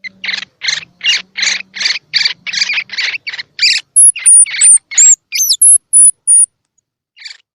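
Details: Baby squirrel calls used to encourage unweaned baby squirrels, eyes open or still closed, to feed: a fast run of about ten short, scratchy chirps, then sharp high whistled notes and squeaks, with a faint low hum beneath.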